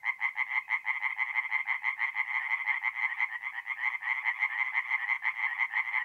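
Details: Night chorus of tree frogs at a forest pond in north-east Italy in mid-April, a steady loud stream of fast, harsh, evenly pulsed croaks with no pause.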